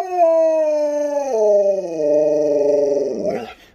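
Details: Alaskan Malamute named Sherpa, a pet dog indoors with a smart speaker, gives a long, steady, tonal howl with rich harmonics, dropping in pitch partway through and wavering before fading, lasting nearly four seconds.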